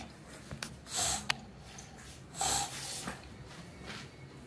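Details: Meatloaf, an energetic male British bulldog, snorts and breathes noisily indoors. Two louder, rough breathy bursts come about a second and a half apart, with quieter sniffs and huffs in between.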